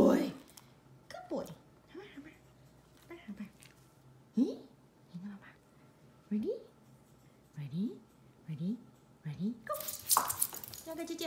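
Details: ZaiZai, a pet Shih Tzu indoors in a small room, coaxed to sing and asked if it wants food such as a chicken leg; short rising whiny yelps come every second or so between a woman's Mandarin chatter, ending in a loud burst.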